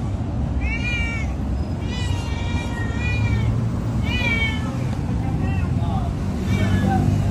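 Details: Loud meowing from an orange domestic cat: a series of harmonic, wavering mews, about five calls spaced roughly a second apart, some rising then falling, over a constant low rumble of traffic or engine noise.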